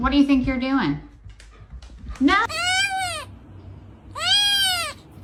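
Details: Domestic cat in winter snow, giving two long, clear, rising-then-falling meows about a second and a half apart, after a short stretch of a person's voice at the start.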